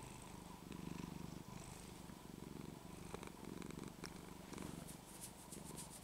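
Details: Cat Penny, a pet in Texas, goes into loud purring when her neck scruff is shaken; deep continuous rumble rising and falling with each breath, a few soft clicks and rustles over it.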